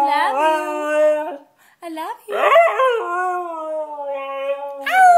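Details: A white Siberian Husky sings loudly in short howled phrases separated by gaps, with a harsh wavering burst in the middle followed by a long, gently falling tone and a final rising note.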